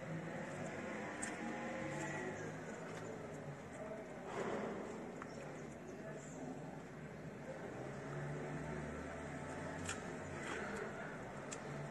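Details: Outdoor ambience of steady low traffic rumble and faint voices, with no clear animal sound.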